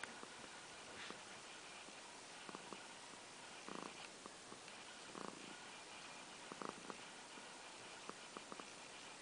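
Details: Misty, a pet cat, purring on February 26, 2014, a purr neither the loudest nor the quietest; a soft, steady rumbling hum under a constant hiss, broken by a few brief clicks and taps.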